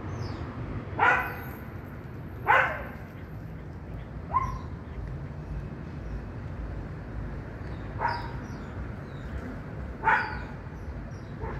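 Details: Neighbour dog noticing a cat eating nearby gives short, sharp barks, about five spaced irregularly, over a steady low background rumble.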